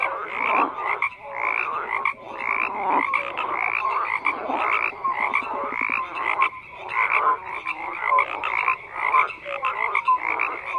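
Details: Crowded frog chorus with loud bursts of grating croaks swelling and dropping roughly every second, the calls overlapping into a steady rasping wall of sound.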